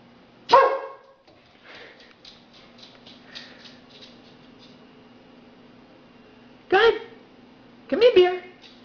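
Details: Female Labrador retriever fetching a beer from a fridge for her owner gives three short, loud, harmonic barks: one early, then a pair near the end spaced about a second apart, between a man's quiet spoken commands and praise, over a steady low hum.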